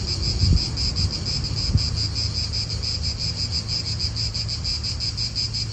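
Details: Cicadas sing in an Italian park, a continuous high buzzy trill with rapid rhythmic pulsing, over a low wind rumble and two brief dull knocks early on.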